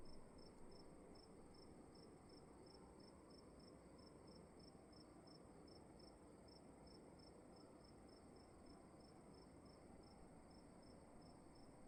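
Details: Crickets calling at night in a dark room: soft, high-pitched chirps pulsing steadily about two to three times per second throughout, over a constant faint high whine and a low, rumbling background hum.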